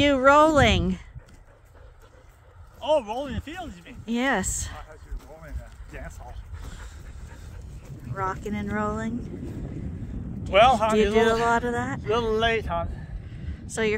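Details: Sheep at Ewetopia Farms in a morning pile-up, waiting to be let out to pasture for fresh grass for the first time this year. Several quavering, wavering bleats in short bursts, with talking and background farm noise between them.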